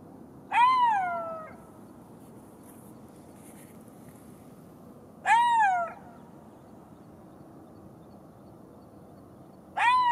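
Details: Golden jackal giving three short wailing howls, each rising then sliding down with a drawn-out falling tail, spaced about five seconds apart against a faint steady background hiss.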